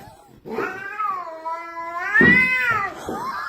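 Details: Domestic cat refusing to let its owner pass down a staircase makes a strange sound: a sustained moaning caterwaul that dips, then swells and rises to a louder, strained peak before trailing off, with faint indoor shuffling.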